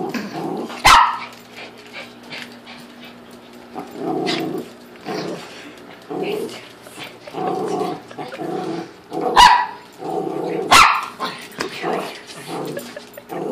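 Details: Dog amused by a fish tank, standing and dancing on two legs with little tapping steps; repeated short whining, bark-like vocal bursts with a few sharp broadband clicks or taps.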